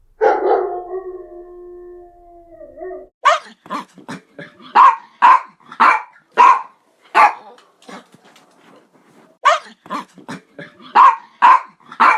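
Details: Dog opening with a long, wavering whine or low howl for about three seconds, then breaking into sharp, punchy barks, singly and in quick pairs, through the rest of the recording.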